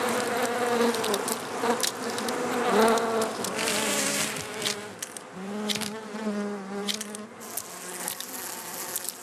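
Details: Honey bee buzzing that swells and fades, a low wavering drone with brighter overtones and a clear sustained hum midway, loudness rising and dipping as the bees move about.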